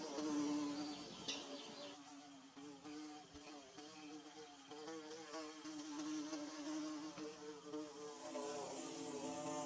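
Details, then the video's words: Bees building their nest give a steady, wavering drone of overlapping low buzzing tones that rise and fall slightly, with a brief hiss of higher noise near the end. "Bee Buzzing"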